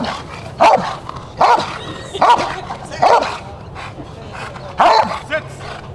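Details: Rottweiler Jefe von Tonatiuh barking in protection at a 2021 DVG America IGP3 qualifying trial: five strong, full barks about every 0.8 seconds, then a pause and a final bark, with light background noise.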